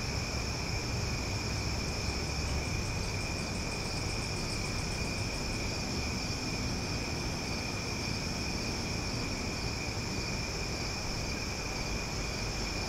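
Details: Loud cicada chorus at night in Omaha in summer: a steady, unbroken high drone made of several sustained tones, with a faint pulsing shimmer near the top for a few seconds, over a constant low rumble of background noise.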